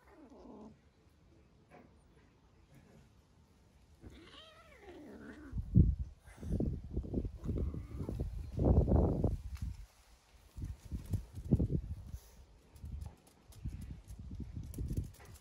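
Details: Golden shaded British Shorthair kitten siblings (Felis catus) play fighting: one short falling meow, then low growly bursts and scuffling thumps.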